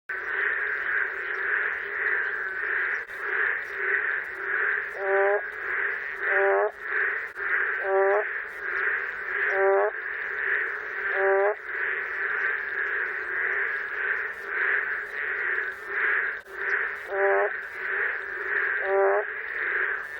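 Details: A boreal digging frog in Korea gives hoarse, cracking, out-of-tune bleats, as if its voice is breaking, about every one and a half seconds over a steady chorus.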